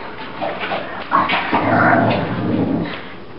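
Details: Bulldog having a crazy morning roll on his favorite bed, making loud throaty grumbling growls and whining yelps that rise and fall over a few seconds, with a person speaking to him.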